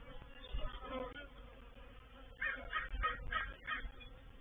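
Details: Reproductive swarm of honey bees moving into a bait hive at Painted Peacock Manor, 04/07/21: a steady low droning hum with layered harmonics, joined midway by a run of loud, harsh crow caws.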